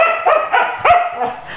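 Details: Malibu, a young female husky newly adopted, throwing a tantrum in bed and refusing to get up; a series of yowling, whining vocalizations with bending pitch, short protesting bursts, while her owner urges her to wake up.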